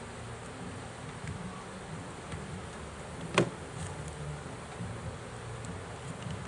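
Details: Swarm of bees being pulled from a trap, a soft, steady low buzz throughout, with one loud sharp knock near the middle.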